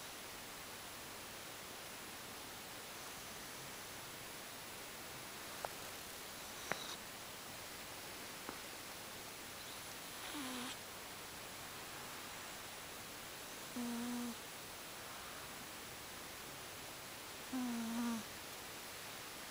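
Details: Sleeping cat named Gucci snores with three whistled, humming breaths spaced about four seconds apart, each dipping slightly in pitch, after scattered faint clicks and rustles in a quiet room.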